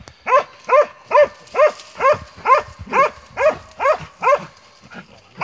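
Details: Montenegrin Mountain Hound baying during a hunt; steady, evenly spaced barks roughly twice per second, each a short arched yelp with strong harmonics, fading slightly toward the end.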